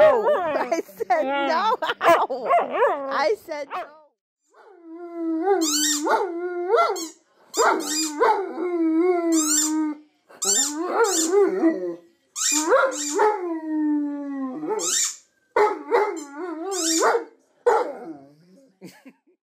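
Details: Huskies singing WOO WOO WOOOOs: wavering calls at first, then a series of steady, drawn-out howl notes about two seconds each, separated by short pauses, with sharp high clicks between them.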